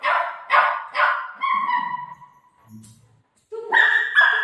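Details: Golden retriever dog barking while playing with its mom: three sharp, rough barks about half a second apart, then quieter tonal sounds and voices, ending with a louder burst of mixed voices.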